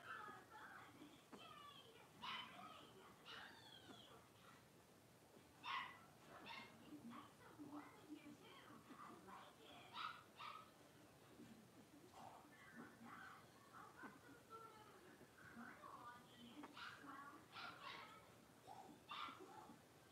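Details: Blenheim Cavalier King Charles Spaniel puppies, a litter of five, play and bark in their pen; sharp high yaps and rising whimpers repeat every second or so, several pups calling over one another, soft voices underneath.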